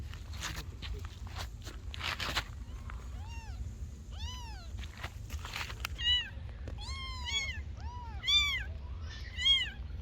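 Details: Several kittens meowing, thin rising-and-falling meows that grow denser and louder in the second half, overlapping calls repeated about once a second, with knocks and rustling early on and a low background hum.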